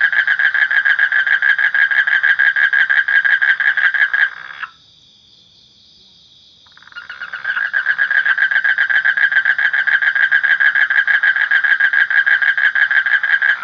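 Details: A frog gives a loud, rapid, grating pulsed trill, falls silent for about two seconds, then starts again with the same steady rattling beat.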